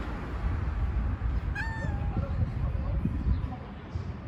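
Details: A street cat with odd-coloured eyes, hanging around under a truck, gives a short meow that rises then slides down, over a constant low background rumble with faint voices.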